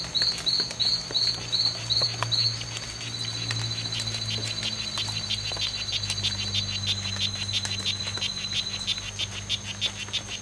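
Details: Two male strawberry poison-dart frogs (Oophaga pumilio) fighting at the C.R.A.R.C. reserve on September 10th, 2012, in a fight lasting from 11:00 am to 4:00 pm. About seven short buzzy chirps come in quick series, then a steady high insect whine continues.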